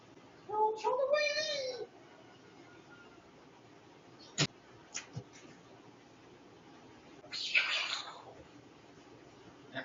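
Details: A mother cat indoors gives one drawn-out meow with clear harmonics, rising and then falling, followed by scattered clicks and a short breathy rustling burst in a quiet room.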